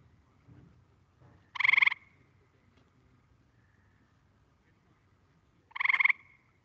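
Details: Gray treefrog played back as a quiz recording during frog-survey training: two short, loud trilled calls about four seconds apart, each a buzzy pulsed burst, with faint low background rumble between.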